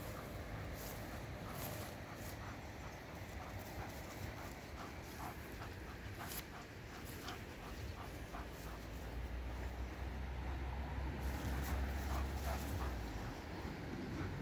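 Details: Playing with its ring, a German Shepherd pants steadily in fast, regular breaths over a continuous rushing background noise that grows slightly louder toward the end.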